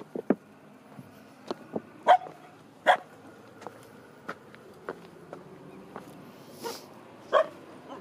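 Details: A female Finnish Spitz, complaining on a windy, cold April morning walk at Sjöbacka near Fiskebäck, Göteborg, Sweden, because she is not allowed to swim, gives short, sharp yips and whiny barks at an uneven pace, about one a second.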